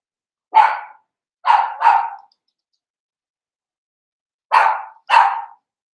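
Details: Seven-week-old blenheim Cavalier King Charles Spaniel puppies from a litter of five born at New Year, kept in an indoor puppy pen at Red Barn Cavaliers; five sharp, yappy barks: a single one, a quick pair, a pause, then another pair.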